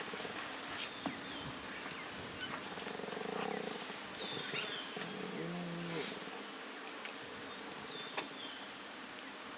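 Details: Lion cubs, two small and two tiny, resting with their mothers and eating in the Masai Mara, dated 2.11.2022, recorded on a Sony FX30; low moaning harmonic calls around three and six seconds over steady insect buzz and faint bird chirps.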